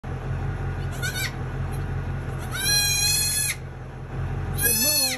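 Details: Newborn dwarf goat kids bleating: three wavering, harmonic-rich cries, each under a second, with steady low hum beneath and a person's voice nearby.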